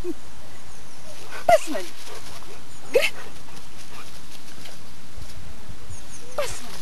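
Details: Young Bernese Mountain Dog Mobis, aged 1.3 years, barks twice in quick single yelps during training, then falls quiet under steady outdoor background noise.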